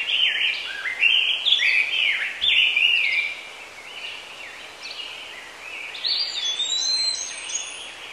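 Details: Squirrel monkeys giving a busy run of high, whistled chirps that slide up and down, many overlapping and repeated several times a second, loudest in the first three seconds, then softer twittering.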